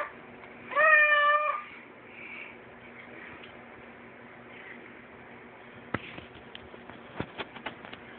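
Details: Max, a pet cat, talking: one drawn-out, clearly harmonic meow near the start, then a quiet room with a few sharp clicks and taps toward the end.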